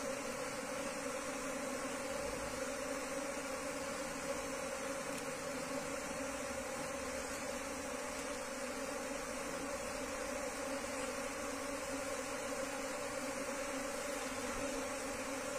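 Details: Wild Asian honey bees being relocated into a hive box hum steadily throughout, a dense constant drone with a brighter overtone and faint background hiss, no pauses.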